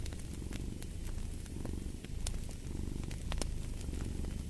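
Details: Cat purring in slow rising and falling waves, close to one a second, a rich low vibration with crackling fireplace pops scattered across it.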